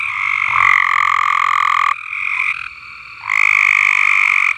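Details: Chorus of frogs at Alderman Farms, with loud sustained buzzy trills on a steady pitch. A softer, lower trill fills a short lull before a strong trill returns.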